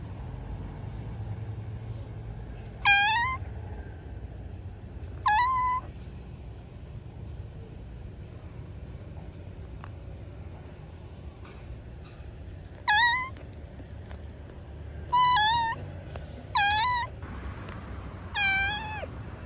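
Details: Cat said to be trapped inside a hole, calling with a series of short, rising-then-falling meows, irregularly spaced, some in quick pairs, over a steady low rumble and a faint high-pitched tone.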